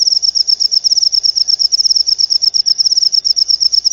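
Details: Cricket giving a high, rapid chirping trill, each short pulse clear and evenly spaced, continuing without a break.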